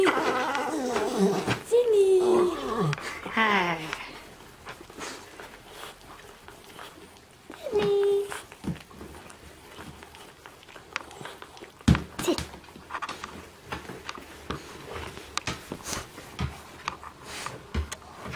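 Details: Sydney, a 12-year-old rescue Border Terrier, making funny noises: drawn-out whining moans that bend up and down in pitch over the first few seconds, one short whine near the middle, then scattered clicks and knocks.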